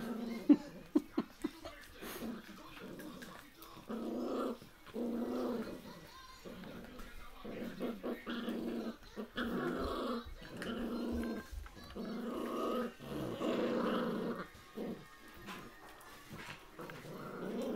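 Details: Young puppies in their early days growling in repeated low rumbling bursts of one to two seconds, mixed with small whimpers, while a woman speaks Finnish to them close by.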